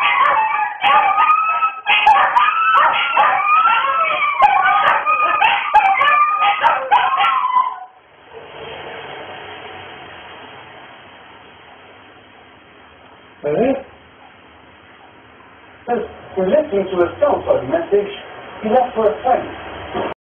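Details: A group of dogs howls in overlapping wavering, sliding tones for about seven seconds, then falls quiet. A single short cry follows, and a final burst of quick, choppy yips and howls ends the recording.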